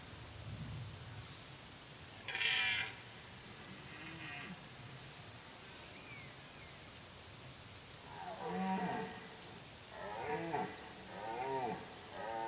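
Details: Red deer during the rut, with activity at its peak. Several drawn-out, harmonic bellowing calls: a short bright call early on, then a run of three or four moaning roars near the end, over a steady background hiss.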